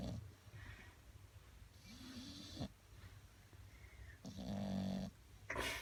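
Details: Bulldog snoring, a rough, raspy rumble of breaths with irregular snorting pulses and a few higher nasal whistles between them.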